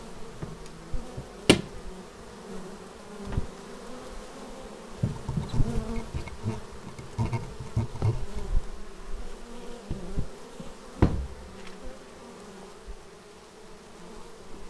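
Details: Bees homing in on their beehive, taken with a Xiaomi Yi action camera: a steady low hum of many wings, several fly-bys swelling and fading, plus frequent sharp clicks and taps.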